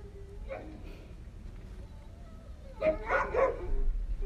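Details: Cane Corso twin puppies playing with their older brother; mostly quiet low rumble, then a cluster of short, rough yipping and growly bursts in the second half, with a brief yelp near the start.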